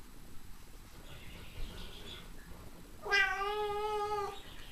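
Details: A whiny cat gives one long, drawn-out meow lasting just over a second, steady in pitch with a rich harmonic tone, after about three seconds of faint background murmur.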